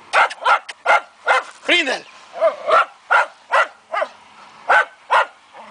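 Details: Barking fox terrier on a wild boar hunt: dense run of sharp, harsh barks at over two per second, some with a hoarse, yelping tone, continuing steadily throughout.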